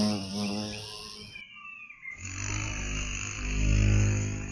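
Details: Violet carpenter bee in Mazovia, Poland: a loud, low, droning buzz with a rich stack of steady overtones that swells toward the end, briefly interrupted by a quieter gap, with faint birdsong above.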